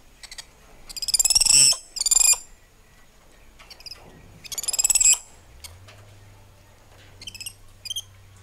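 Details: Spider monkeys in lush treetops calling to one another: harsh, high-pitched pulsed screeches in three bursts of under a second each, then softer short chirps and a faint low hum near the end.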